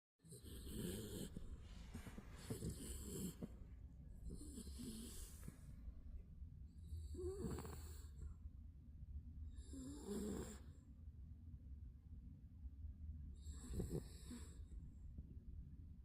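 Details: Spitz napping, snoring in slow rhythm: breathy rasping snores with whistling high hiss roughly every two to three seconds, over a steady low hum.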